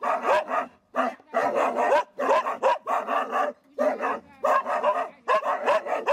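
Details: Wild boar hunting dogs with a Tokushima, Japan hunters' club, resting ahead of a cull; loud, rough barks follow each other steadily, some drawn out, separated by short silent pauses.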